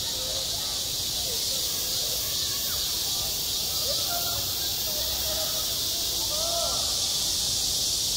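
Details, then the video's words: Cicadas call over a school playground in the height of summer, their shrill continuous hiss dominating, while faint wavering voice-like sounds rise and fall in the background. "한 여름 운동장에서 매미가 울고 있다 - 여름의 소리, 학교 종소리, 매미 울음소리"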